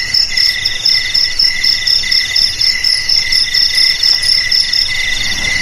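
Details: Steady night-like chorus of crickets, with a high chirping trill beating in regular bursts above a constant buzzing ring and a lower sustained trill; only insects are heard.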